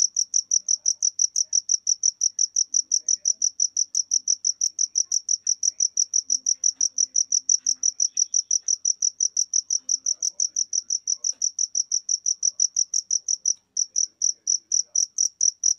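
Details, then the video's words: A long, unbroken train of rapid, high-pitched cricket pulses, about five per second, that briefly stops near the end and then resumes. Otherwise the background is quiet. "Jangkrik (Suara Jangkrik)"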